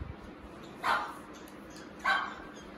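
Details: Shih Tzu caught on a CCTV camera stealing and destroying an ATM card, giving two short, sharp barks about a second apart over a steady background hiss.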